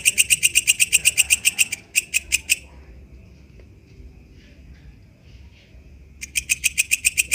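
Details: Katydid known locally as walang kecek, recorded in the wild: a run of high, raspy pulses at about four per second, a pause of several seconds with near silence, then the pulsing resumes.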